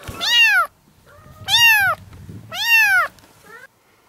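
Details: Kittens four to five weeks old, part of a litter of seven in a yard, meowing insistently: three long, loud, bent high meows about a second apart, then a short faint one, over low background rumble.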